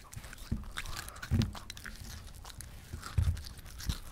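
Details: Potato, a five-year-old female Shih Tzu weighing 5 kg and described as a foodie, eats cucumber indoors: sharp wet crunches at irregular intervals, loudest bites near 1.3 and 3.2 seconds, soft chewing between them.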